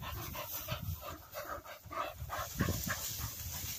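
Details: Cocker spaniels retrieving along a river bank in gundog-style work; rhythmic breathy panting with soft snorts, while a handler speaks nearby in the open air.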